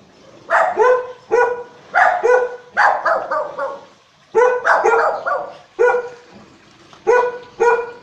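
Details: Barking from a group of four house-guarding dogs, a Shih Tzu and a Golden among them, warning at every footstep while the owner is out; rapid, ringing barks in quick pairs and triplets, barely pausing.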